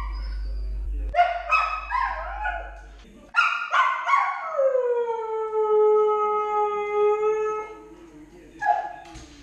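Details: A Siberian Husky puppy named Lady, 10 months old and alone at home, starts with broken yipping notes, then a sustained, slowly falling howl of about four seconds, ending with a brief yelp.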